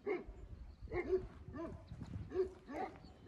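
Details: A herding dog out on a mountain with a sheep flock barks in short, harsh bursts with uneven gaps, answering other dogs barking from across the slope.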